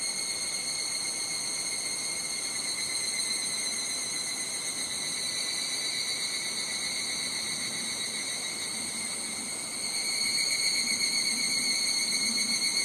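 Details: Higurashi cicadas calling in a Japanese summer at Nishigo, Fukushima: a continuous shrill insect chorus of steady high ringing tones that holds level throughout, grows slightly louder near the end, with light wind noise.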